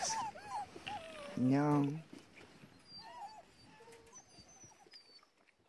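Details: Racing sled dog puppies in Alaska, 2019, phone recording: thin, high, wavering whimpers and squeaks scattered throughout, broken by a short human voice near the middle, fading toward the end.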